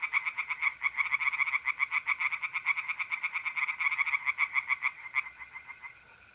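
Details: Night pond chorus of tree frogs in mid-April, North-East Italy. Fast, pulsing, rattling croaks that fade out after about five seconds, leaving the continuous mole cricket trill.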